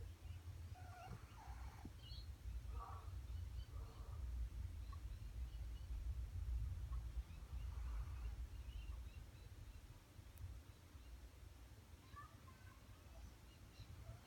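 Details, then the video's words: A pet dog named Nugget snoring while asleep, low rumbling breaths repeating steadily through the recording, with a few faint higher rustles and clicks above. "Dog snoring"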